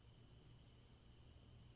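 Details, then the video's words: Crickets chirping as a calm backdrop to a bedtime fairy tale: high, even pulses repeating about three times a second over a low steady hum. "Crickets Chirping"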